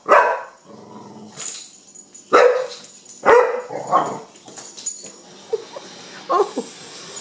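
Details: Kenya, a young Pit, reacts to a wind-up bug with a handful of separate sharp barks, some clattering noise between them, and softer whining yelps toward the end.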